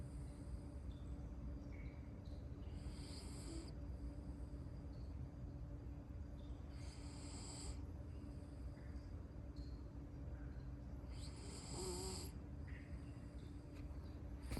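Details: Asleep, a miniature poodle snores in breathy, hissing pulses about every four seconds, one carrying a faint wavering whistle, over a steady low droning background.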